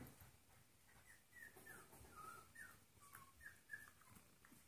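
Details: Play session between Trouble, a 14-week-old golden retriever mix puppy, and Monkey, a 2.5-year-old Jack Russell/rat terrier mix; thin, high whimpers and short whines that bend up and down, coming in quick succession over a soft hiss.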